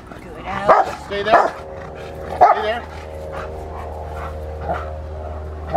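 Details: Rottweiler Fire v LordsNLadies during protection training for schutzhund (IGP): loud, harsh barks in bursts near the start, then spaced single barks, over a steady low hum and background voices.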